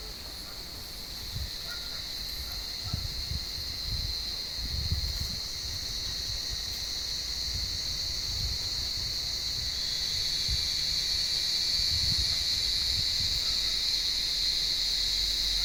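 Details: Cicadas in an olive tree on a warm evening, hunted by cats: a sustained shrill buzz swelling steadily louder over the clip, with occasional low thumps and rustling from the animals below.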